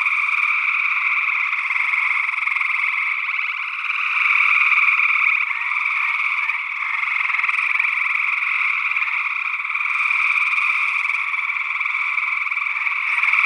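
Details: Gray tree frogs call in early June 2022 in Northwest Wisconsin, a dense chorus of musical, fast-pulsed trills blending into one continuous ringing sound; a second unidentified frog species, possibly a spring peeper, may also be present.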